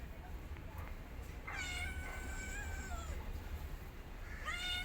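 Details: Mother cat, bored while her kittens sleep, gives a drawn-out meow lasting over a second that sags at the end, then starts another rising meow; steady low background hum.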